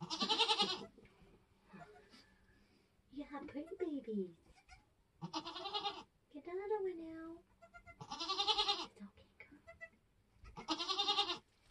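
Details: Nigerian Dwarf goats kidding on a homestead while births happen: repeated loud, shaky bleats about every two to three seconds, mixed with softer wavering cries and human voices talking nearby.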